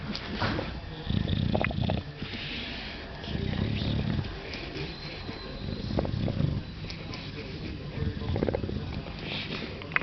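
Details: Angus, an English Bulldog, making happy, purring-like sounds while enjoying a scratch: low, throaty snoring rumbles in bursts roughly every two seconds, with faint voices in the background.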